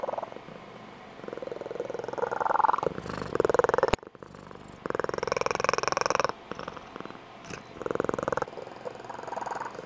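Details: Blue Point Tonkinese cat, adult female, indoors, giving her squeaky high-pitched trilling purr, as when excited or waking her owner each morning; pulsed purring in bursts of one to three seconds with brief pauses, one sharp click midway.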